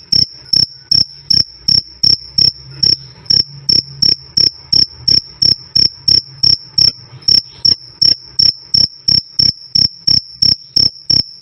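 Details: Cricket giving a continuous series of bright, piercing chirps, roughly three per second and fairly even, loud and clear with nothing else audible.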